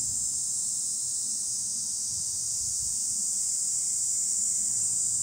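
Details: Cicadas calling from trees in a natural setting: a continuous, steady, high-pitched shrill drone that holds unbroken and level throughout, with only a faint low rumble beneath.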